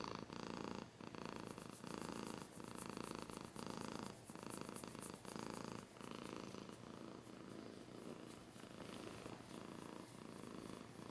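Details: Steady rhythmic purr of a domestic cat, loud rumbling pulses alternating with short dips between breaths, about one cycle per second, with light scratching.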